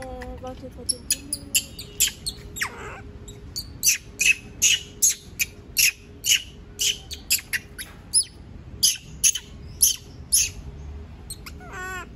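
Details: Monkey screaming because it does not want to be left alone: a fast run of shrill, high, piercing cries, roughly two per second and unevenly spaced, with a steady low hum underneath.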